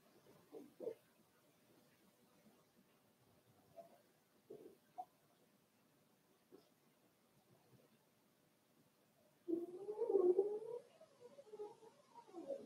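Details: Four-week-old Cavalier King Charles Spaniel puppies from Daisy's litter in their indoor puppy pen: scattered faint squeaks and snuffles, then a louder wavering, mewing whine lasting over a second near the end, followed by softer whimpers.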